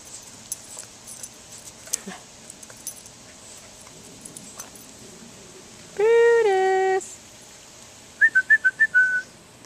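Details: Brutus, a Boston Terrier, plays in a sprinkler on a hot summer day and lets out a single sustained whine of about one second, followed by a quick run of short high squeaky chirps, with sprinkler hiss throughout.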